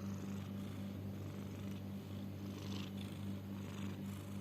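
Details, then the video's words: Pet cat with possible snoring, wheezing or breathing difficulty makes a soft, low, buzzing purr-like rasp that pulses about twice a second without pause, over a light hiss of room noise. "Is my cat snoring or wheezing? / Or having trouble in breathing"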